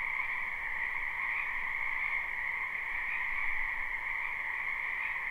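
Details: Many wild frogs croaking in a wetland in spring, recorded live without looping: a dense, unbroken chorus forming a steady trilling drone with two bright bands, a higher shrill layer over a lower one, and no other sounds.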